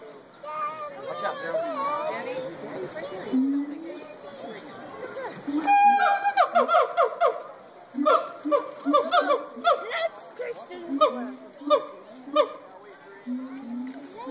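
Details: Gibbons hooting and howling at the Cincinnati Zoo, with wavering calls at first, then a burst of sharp rising whoops and repeated short hoots, while visitors talk and laugh nearby.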